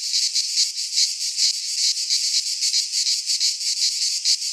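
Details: Shrill, unceasing buzz of cicadas singing in a Greek pine forest in midsummer, pulsing in quick irregular surges about two or three per second, no birds or people heard.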